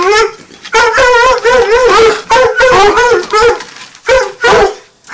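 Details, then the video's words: Nine-month-old Redbone Coonhounds treeing together, giving rapid, overlapping quavering bawls in close succession with brief gaps, voices bending up and down in pitch. "Redbone Coonhound treeing"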